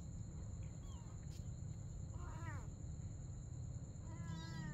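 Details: At night a mother cat and her kitten play together, giving two bright meows, the first brief and downward-bending, the second longer and level, against a persistent low hum and faint high whine.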